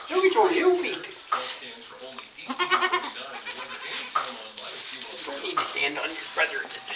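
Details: Newborn Saanen/Alpine kid goats on a hobby farm, being born in May 2012. A short, quavering, harmonic bleat rises around the third second, mixed with people talking and rustling handling noise.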